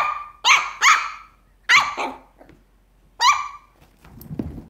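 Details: A Papillon puppy barks at a resident cat in shrill, bright yaps: first a quick pair, then single sharp barks spaced about a second or more apart, followed by faint shuffling.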